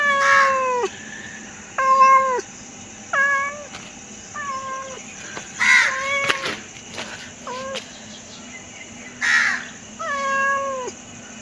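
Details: A pet cat meowing repeatedly, about eight drawn-out cries with a falling finish, spaced irregularly with short pauses between them, over a low constant hum.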